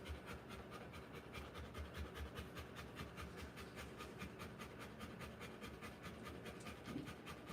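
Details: Rottweiler giving birth to puppies, panting rapidly and steadily, about two and a half breaths per second, as rhythmic soft breathy bursts with a low background hum throughout.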